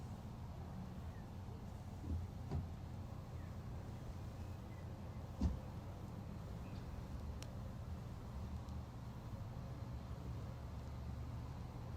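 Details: Quiet outdoor rumble, like a distant vehicle, with a few faint knocks and a brief thump; no animal sound is heard.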